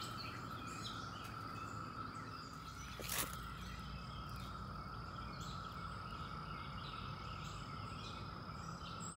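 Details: At the end of May among flowers, seventeen-year cicadas chorus in a steady, droning whine that never lets up, over a low rumble.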